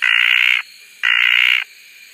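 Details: Red tree frog, also called desert tree frog, at Koah: two loud, buzzy, drawn-out calls, each lasting about half a second and separated by a brief pause, harsh and even in tone throughout.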